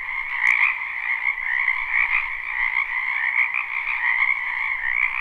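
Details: Springtime wetland frogs in full chorus, recorded live near a home: constant overlapping trilling croaks merge into an unbroken pulsing drone, steady in loudness throughout.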